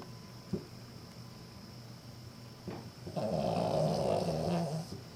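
A sleeping Cavalier King Charles Spaniel gives a rough, rumbling snore that swells and fades.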